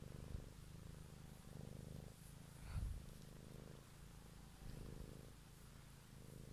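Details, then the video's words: A domestic cat purring close up, recorded one evening for ASMR: a low, rumbling purr that swells and fades with each breath, its phases roughly every one to two seconds, with a brief soft thump near the middle. "Cat song"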